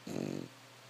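An English Bulldog gives one rattling, fluttery snore, a low rough breath lasting under half a second.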